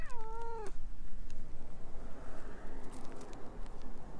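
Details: A talkative stray orange tabby cat clinging to the filmer's legs, recorded on a GoPro HERO8, gives one short falling meow lasting under a second, then only a steady low rumbling background noise remains.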